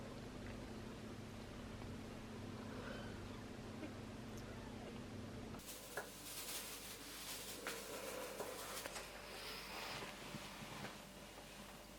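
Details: A steady mechanical hum gives way to broader room noise with scattered clicks and knocks, and no animal voice.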